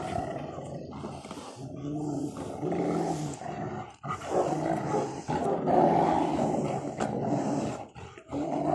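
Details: Rottweilers in a hobby garden tearing apart a tyre, giving continuous rough, throaty growls with stacked low harmonic bands that swell and fade over several seconds; a man's voice urges them on and rustling breaks in.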